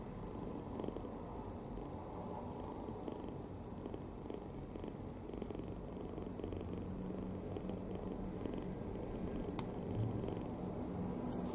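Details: Kitten fast asleep with its mouth open, fully relaxed, giving a steady low rumbling snore that runs without pause, soft and even throughout, with a faint high click near the end.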